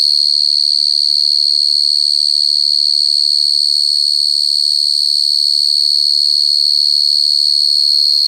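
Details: Cricket trilling nonstop, a piercing even buzz at one high pitch with no breaks; the background is otherwise almost silent.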